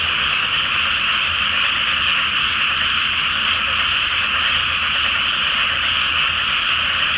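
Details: Frog chorus at night in a water-filled rice paddy before rice planting, full moon overhead: countless overlapping croaks merge into one steady, unbroken, trilling roar that holds at the same level throughout.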